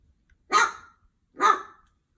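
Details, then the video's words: A male Pembroke Welsh Corgi puppy barking at his own reflection in a window gives two sharp, bright barks about a second apart. "Corgi puppy is barking at his own reflection in the window."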